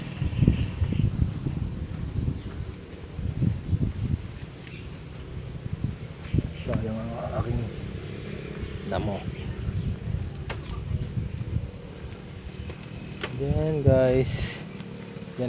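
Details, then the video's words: A playful pet goat gives two wavering, quavering bleats, the first short and the second longer and louder near the end, among people talking in the foreground and low outdoor rumble. "Makulit ko alaga kambing"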